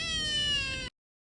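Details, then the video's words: One of a pair of stray cat brothers gives a single steady, bright meow under a second long that stops abruptly, followed by silence. "流浪貓兄弟們｜stray cat brothers【喵有事】"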